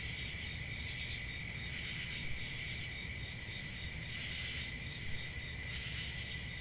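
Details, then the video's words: Night-time crickets calling together in a continuous shrill trill, high and even in pitch, with slight swells in loudness and a soft low-frequency hum underneath. "CRICKETS AT NIGHT"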